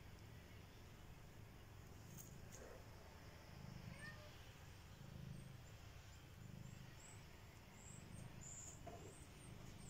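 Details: Three one-month-old domestic kittens purring in a basket: a soft, low, steady rumble that swells in waves every second or so, over faint background hiss and a few quiet high chirps.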